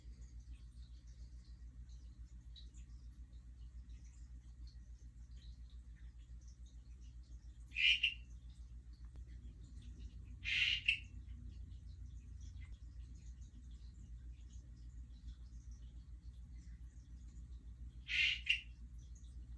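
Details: Hourglass tree frogs (Dendropsophus ebraccatus) give a few short, high, creaky chirps spaced seconds apart; the recordist believes these are non-breeding calls, recorded the day after a mating event, possibly males establishing territories.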